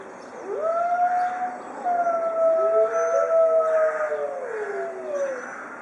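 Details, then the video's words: Captive white Arctic wolves in a zoo pack howling together; several long overlapping tonal howls slide and waver in pitch, some rising then falling, layered into a sustained chorus with one voice bending upward near the middle. "White Arctic Pack of Wolves howling together"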